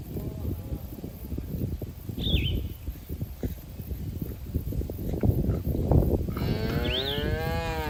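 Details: Grazing cattle in a green field; steady chewing and rustling of grass fill the first seconds before a cow lets out a long, low, rich moo that runs to the end, with a brief bird chirp above.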